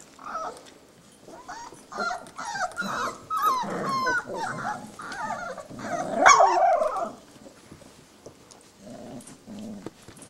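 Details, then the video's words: Three-week-old puppies of a litter playing together, still inside the whelping box: a busy run of squeaky whines, yelps and small growls overlapping in quick bursts, loudest around the middle, then fading to soft grumbles. "Arctic Hope's Double T' Litter, Playing, 3 wks old"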